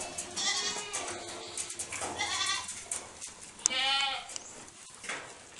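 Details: Several Saanen dairy goats, kept at BSL Farm in Gunung Sindur, Bogor, Indonesia, call in turn with bright vibrating bleats, one rising then falling near the end, amid shuffling and clattering pen noises.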